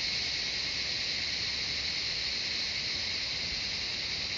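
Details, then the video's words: Constant high, sizzling drone of cicadas in the jungle of Shivapuri Nagarjun National Park beside Kathmandu City, Nepal, a massed chorus running evenly without pauses or other voices. "Cicadas singing the jungle of Shivapuri Nagarjun National Park, surrounding of Kathmandu City Nepal"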